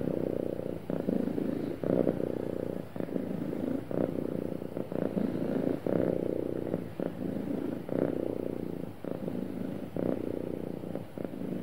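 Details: Contented cat purring smoothly, a continuous low vibrating rumble broken into roughly one-second pulses by its breathing, steady throughout with nothing else audible.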